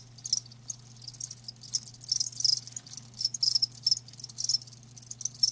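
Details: Live crickets chirping in shrill, high bursts that come in uneven clusters, with quieter stretches between them and a constant low hum underneath.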